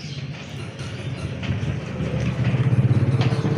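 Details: Low rumbling vehicle engine noise that throbs louder toward the end, with no animal sound.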